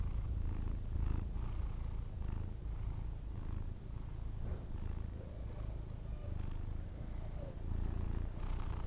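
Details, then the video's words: Persian cat asleep and snoring, somewhat quieter: a low buzzing drone with gentle, regularly spaced breathy pulses and faint rustles. "record my Cats snore when he sleeping"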